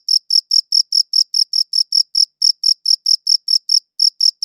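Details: Cricket chirping, one shown on a light blue background; clean high-pitched pulses repeated about five times a second with an occasional brief gap, over a silent background.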